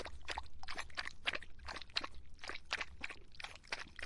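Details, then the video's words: A dog drinking on a hot summer day. Quick wet lapping strokes come about three times a second in an uneven, splashy rhythm, with a low rumble underneath. "더운 여름 강아지가 목 축일 때 나는 소리 The sound of dogs on their throats in the hot summer"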